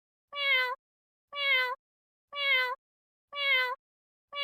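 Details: Short, clear cat meows, four alike in a row, each about half a second long and repeated at a steady one-second beat, with silence between.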